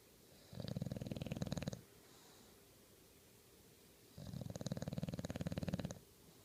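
An English Bulldog snores in two long, rattling breaths, with quiet pauses between.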